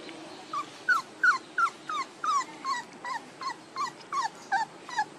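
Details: Rhythmic puppy whimpering from pups aged one month and two days: a steady string of brief, falling high yips, roughly three per second, evenly spaced over quiet background hiss.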